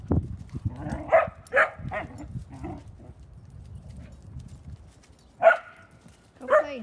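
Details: A collie barking while playing: a few sharp, loud barks in quick succession near the start, a quiet stretch with soft shuffling, then two more single barks toward the end, with low human speech underneath.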